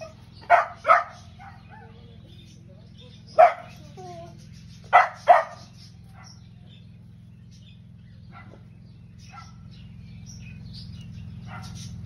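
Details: Vizsla puppy at a zoo barking at birds, sharp short barks in pairs and singles, five in the first six seconds, then quiet with faint distant sounds and a steady low hum.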